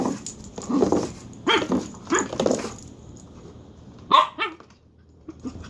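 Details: A dog named Dagger gives a run of rough, grumbling barks and growly yips in the first half, then one sharp high bark after a pause, then soft trailing whines.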